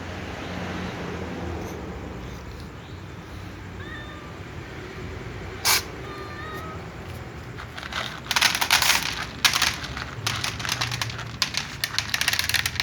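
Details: Black cat sneezing before eating with other cats: a single sharp, explosive sneeze near the middle, bracketed by faint thin meows, followed by a stretch of loud crunchy, clattering eating noises.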